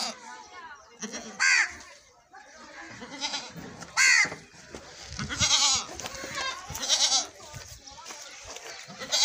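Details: Goat being milked, giving several loud, wavering bleats in short bursts with a few seconds between them, mixed with people talking throughout and some handling noise.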